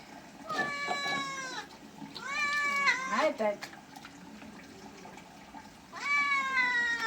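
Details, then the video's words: Bathing house cat meows repeatedly: a falling wail, then a wavering cry breaking into shorter notes, a pause, and a final long descending meow, with a person's voice and splashing faintly behind. "Cat bathing videos"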